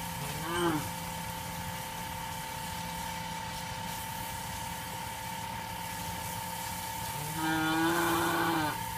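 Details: Female Punganur calf skipping its bath and running; two short, rising, harmonic moos, one near the start and a longer one near the end, over a steady mechanical hum throughout.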